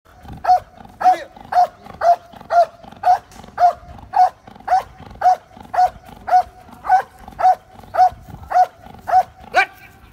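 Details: Belgian Malinois during obedience work, barking steadily: about nineteen sharp, even barks, roughly two per second, each with a clear tonal core, in a quiet setting.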